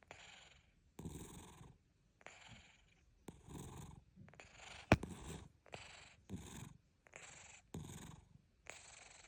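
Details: A domestic cat snoring softly, with rhythmic, breathy rasping bursts roughly once a second that alternate between longer and shorter breaths, plus a single sharp click midway.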